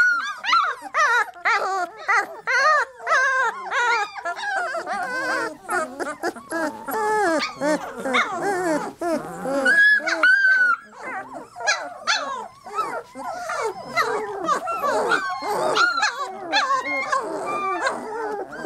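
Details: Litter of three-week-old Labrador Retriever puppies in a dense, continuous chorus of overlapping high whines, squeals and yelps, many voices at once with short rising and falling cries throughout.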